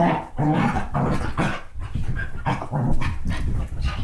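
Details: Basset hound and Dachshund mix dogs wrestling in play: an unbroken, deep grumbling growl with rough rising snarls throughout.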